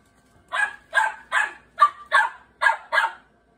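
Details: A seven-month-old Great Bernese in a rapid run of seven barks, about one every half second, evenly loud and clear against a silent background.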